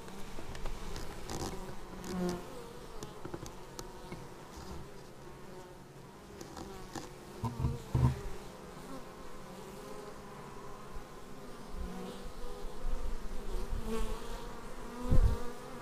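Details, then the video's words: Bees returning to their beehive, caught on an action camera: a long, low, steady swarm drone with occasional louder whines of single bees passing the lens and soft bumping noises. "Bees arriving at hive"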